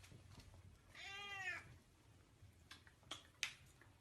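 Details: Pet cat gives one drawn-out meow lasting about half a second, rich in stacked harmonics, in a quiet indoor room with a few faint clicks afterward.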